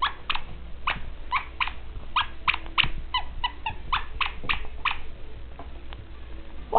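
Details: Scotch and Whiskey, a pair of 4-month-old dachshund boys up for adoption, tussle at play, letting out a steady run of sharp, high yelps and whimpers about every half second above faint indoor rumble.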